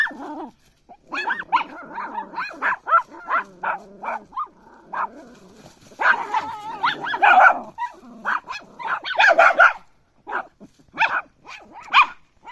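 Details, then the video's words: Puppy barking and yelping almost without pause, a long excited run of high, wavering yaps and whines, briefly louder and harsher in the middle, with short gaps between bursts. "CUTE PUPPY DOG BARK SOUND"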